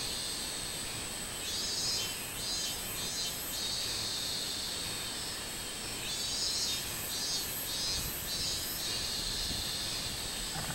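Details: Robust cicada recorded on 24 July 2016: high, buzzy pulsed phrases rise and fall in two bursts, around 1.5–3.5 and 6–9 seconds, over a constant shrill insect drone.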